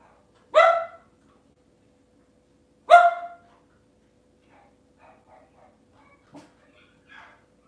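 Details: Two loud, sharp single barks about two seconds apart from a Cavalier King Charles Spaniel in a kitchen on a cloudy Monday morning, followed by quiet faint household sounds.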